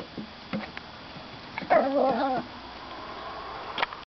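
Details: Russian Toy Terrier pup performing tricks for treats, asked to stand up; a short, high, wavering whine lasting under a second, with faint indoor sounds around it.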